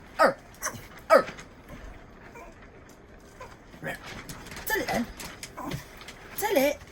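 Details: Female dog whose strange bark, unchanged since she was a puppy, resembles a sea lion: a pair of sharp honking barks, a pause, then a cluster of falling hoarse barks mixed with people's voices and household noise.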